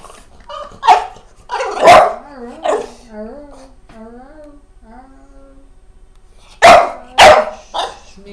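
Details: Pet dog vocalising to its owner indoors while a woman talks soothingly in Portuguese, reassuring it about the camera; her voice dominates the first half, then two loud, abrupt barks burst out close together, followed by a softer yelp.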